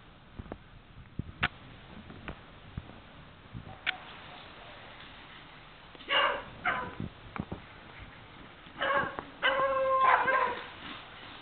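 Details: Scattered clicks and taps at first, then a Beagle bursts into loud barks and a drawn-out bay near the end.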